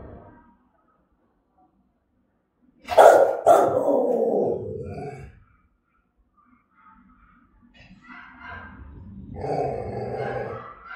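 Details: Aggressive, threatening Rottweiler of German type in Vietnam: after near silence, one sharp bark runs into a drawn-out rough growling bark lasting about two seconds, then quieter rumbles and a final lower bark.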